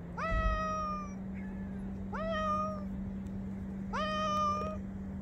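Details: A grey-and-white cat perched on a fence gives three clear, drawn-out meows about two seconds apart, each sliding upward and then holding level, with a constant low hum underneath.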